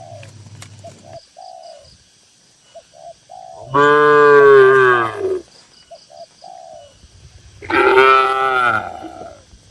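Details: Two loud, drawn-out moos from tame cattle kept in a crowded farm pen, each resonant and falling in pitch at its close, with repeated soft pigeon-like coos and a faint low hum in the quiet gaps.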